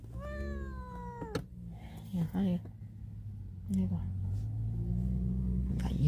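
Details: House cat wanting to escape gives one long, slightly falling meow, then a woman talks in Cantonese over a low room hum.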